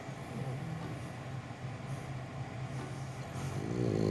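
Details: A French bulldog in Japan, sleeping peacefully in his owner's arms, snores in low, rumbling, irregular breaths with a rising snort near the end.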